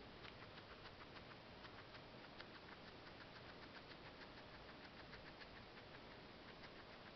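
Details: A guinea pig eating parsley, her fast chewing heard as a steady run of crisp clicks several times a second over a constant loud background hiss.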